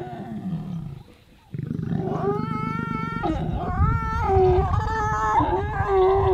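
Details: Two lions mating in Ruaha National Park, Tanzania, filmed close up; harsh, strained roaring growls with rising and falling tones that build in strength across several seconds, after a brief quiet gap.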